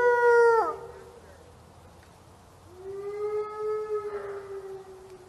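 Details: Gray wolf. A wolf howls in smooth, tonal voice, first a short note that slides sharply downward at its end. After a pause comes a long, level howl held for several seconds, fading slightly toward the close.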